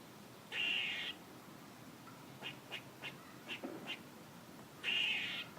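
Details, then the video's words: A squirrel makes a long buzzy call, then a quick series of six short chucks, then a second harsh, drawn-out call. "A squirrel making noises"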